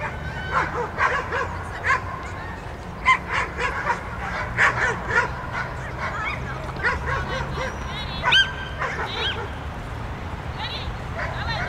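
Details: Groenendael named Star Wolf Eros at the "Autumn Waltz" dog frisbee throw-accuracy competition of the DiskHunters club; sharp repeated barks and short yips come in bursts over crowd chatter and outdoor noise.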